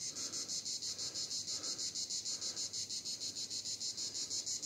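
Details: Cicada chorus recorded at Vidauban, France, 2024, a shrill, high buzz beating in rapid regular pulses, roughly three per second, steady for the whole stretch.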